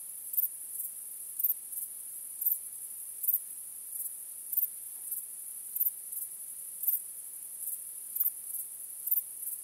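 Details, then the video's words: Crickets chirping on a starry night: a steady, very high-pitched shrill trill runs throughout, with brighter pulses about every half second to second. No other sounds stand out. "Cykanie Świerszczy 🦗 Gwieździstą Nocą 🌙 {Night Crickets Sound}"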